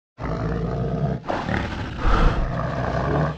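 A bear gives a deep, rumbling roar that breaks briefly and then continues.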